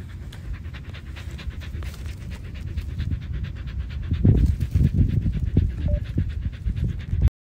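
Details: Samoyed dog panting: rapid, steady breathy pants roughly twice a second, low and rough, growing louder midway, with a faint background hum.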